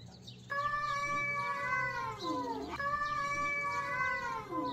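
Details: Cats in a fight trade long, steady yowls, each holding pitch and then dipping into a low, warbling growl. Two such cries follow one another closely and fill the whole stretch.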